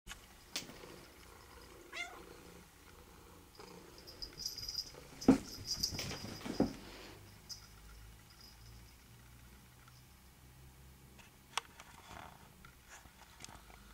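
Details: A pet cat named Rubi, at play fetching; a brief voiced cry early on, then loud thumps and rustling bursts around the middle, fading to quiet indoor background noise.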